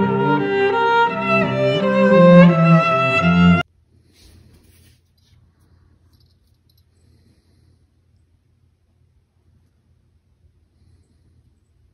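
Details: Bowed and plucked string music plays for about three and a half seconds, then cuts to near silence with faint low rumble.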